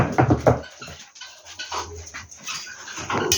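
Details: Rescued puppies with a screwworm infestation, taken in for a friend, whimpering and squealing in short bursts amid rustling and handling noises, with background music.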